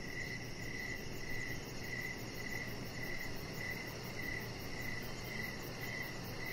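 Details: Chirping crickets at evening near a deck where Rocket, a chihuahua puppy, lies under decoration lights; rhythmic short pulses repeat steadily with a droning low background.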